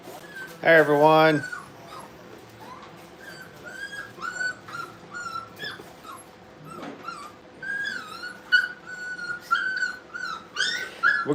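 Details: Brittany puppies at playtime indoors at a kennel, several high whimpering and squealing calls repeated through the clip, with a loud yelp near the start and a man's voice talking in a small room.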